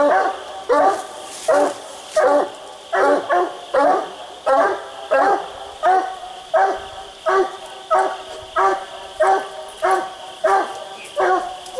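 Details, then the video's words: Barking of treed coonhounds Boone and Bandit during a raccoon hunt, each dog on a different tree: hoarse, ringing barks repeated steadily at a regular pace, roughly one and a half per second, with a faint steady hum behind. "Boone and Bandit split treed coon hunting"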